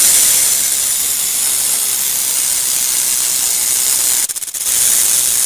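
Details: Rattlesnake rattling in a steady, dense high-pitched buzz that briefly breaks into a few separate pulsing clicks near the end before resuming.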